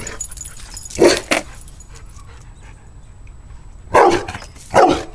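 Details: Dog that hates skateboards barking at them: a quick pair of sharp barks, a quiet pause of nearly three seconds, then two more loud barks, over a low background hum.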